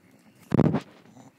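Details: Pet bulldog doing tricks for food treats gives a single short, gruff, low huff-like bark lasting about a third of a second, with quiet room sound before and after.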